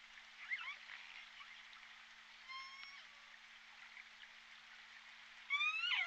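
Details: J Pod orcas picked up on the Point Robinson hydrophone on 14 December 2021. Scattered whistled and pulsed calls with harmonic stacks sit over steady underwater hiss, and a loud upsweeping call with rich harmonics closes the stretch.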